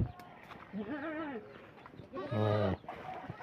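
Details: Goat on a small farm at feeding time, its leaves eaten down to bare branches. A man talks quietly, then one loud, quavering, nasal bleat cuts in for about half a second and is followed by more soft talk.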